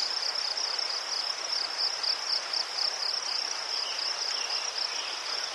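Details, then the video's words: Continuous shrill cricket chirping recorded in Ukraine by chrysanthemums: fast, evenly beaded high pulses without a break, plus a few faint brief chirps lower down. "Заспокійливий звук цвіркунів//The soothing sound of crickets"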